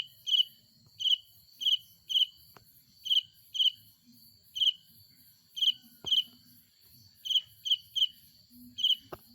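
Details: A cricket gives bright, high-pitched pulsed chirps by stridulating its wings, repeated in short bursts about every half second, at night in a rural village.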